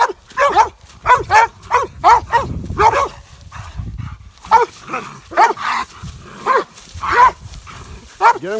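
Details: Mountain Curs with coon dogs on a raccoon hunt, baying at a big boar coon; rapid chopping barks in bursts, roughly two per second, with a brief lull mid-recording before barking resumes.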